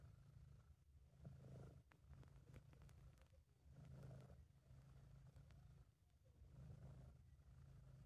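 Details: Relaxed, happy British Shorthair cat purring in an amateur home recording: deep continuous vibrating rumble rising in waves roughly every two and a half seconds, a few soft clicks between breaths.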